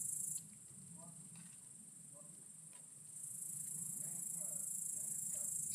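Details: Great green bush-cricket (Tettigonia viridissima), recorded with an iPod touch 5: a sustained high, sizzling buzz that cuts out briefly after the first moment, then resumes and grows steadily louder, over faint low background murmur.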